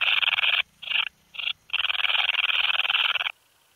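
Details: Bicolour meadow bush-cricket in Breitenbrunn, Austria, 13 July 2020, giving three brief high buzzing bursts followed by a sustained whirring trill of about one and a half seconds that cuts off abruptly.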